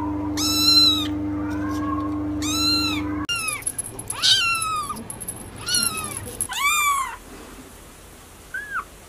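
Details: House cat giving a series of arched, harmonic meows, several in quick succession, with a background hum in the first part and a quieter room later.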